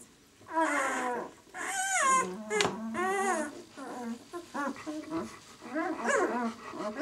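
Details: White German Shepherd puppies, six days old, from the "of White Night" B litter, whining in long wavering squeals and bent, rising-falling cries, overlapping calls from several pups, with a sharp click midway.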